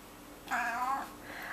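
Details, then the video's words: Fifteen-year-old male cat meowing along as his owner sings Twinkle Twinkle Little Star, recorded September 10th 2011: one long, tonal, slightly falling meow, then a softer, shorter second meow between the sung lines. "my cat singing Twinkle Twinkle Little Star"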